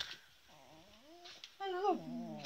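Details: Adult female beagle getting angry while being teased, giving drawn-out whining and whimpering calls that rise and fall in pitch, then a louder wavering whine with rich overtones near the end; faint voices in the background.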